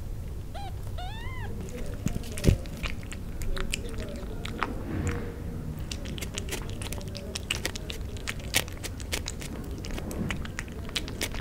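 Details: Newborn kittens wanting to suckle from their mother give two quick, high, wavering mews at the start, followed by a long stretch of wet clicking and smacking suckling sounds in a quiet room.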